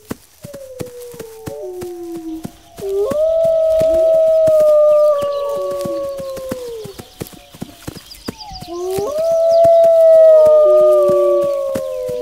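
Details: Wolves howling in overlapping long, smooth tones that rise and fall, two swelling bouts separated by a short pause, with soft crackling in the background.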